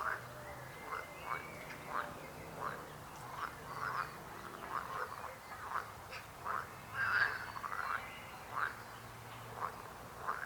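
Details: Steady chorus of short frog croaks repeated about twice a second, one louder croak near the middle, over a faint low hum.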